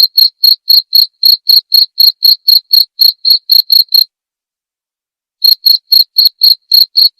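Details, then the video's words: Cricket chirps, clearly recorded as tutor sound for white-rumped shamas, pulse shrilly about four times a second, break off for roughly a second and a half of silence, then resume at the same pace. "masteran suara jangkrik jernih!"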